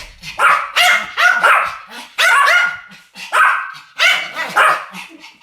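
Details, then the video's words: Duet barking by two Pomeranians: loud, shrill, clipped yaps delivered in doubled bursts, roughly one burst per second, clean and close. "ポメラニアン Pomeranian デュエット吠え 1000回 犬の鳴き声"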